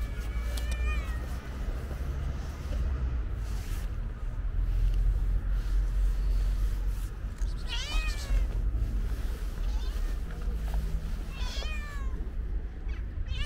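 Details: Stray calico cat with white paws among her companions; three short, wavering meows spread across the stretch, early, midway and near the end, over a loud, continuous low rumble.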